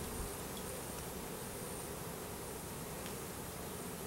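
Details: Swarm of Russian/Carniolan hybrid honey bees, roughly 10000 with a single queen from a 3 pound package, during installation into a new hive, April 2012; an unbroken low, even buzzing drone with no other clear sounds.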